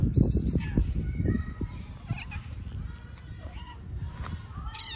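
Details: Friendly stray cat on an Istanbul street talking to a person: short, rising, nasal meows, the clearest near the end, mixed with a woman's Turkish speech and background street noise.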